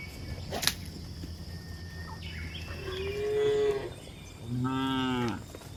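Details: Cows journeying over a hill. After a sharp click, two moos follow: a long, level low call, then a shorter, richer one.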